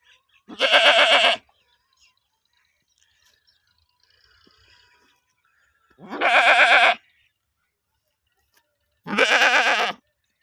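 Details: Goat (Capra hircus) in the UK bleats three times, each a loud, wavering, nasal cry lasting under a second.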